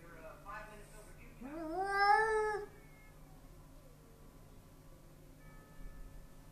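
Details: Indoor Bengal cat facing a neighbour's Persian cat through glass utters short meowing sounds, then a loud rising, wavering yowl of about one second, followed by quiet room noise and faint voices.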